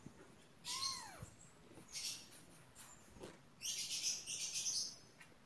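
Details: One brief arched mew from pet kittens, rising then falling, followed by hissy rustling and scratching sounds.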